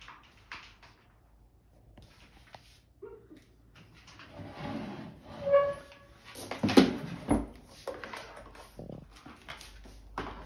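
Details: Golden Retriever named Hermano during a patience test at food time, waiting for the go command; soft whines and whimpers rise and fall amid small indoor rustles, a few short high squeaks near the middle.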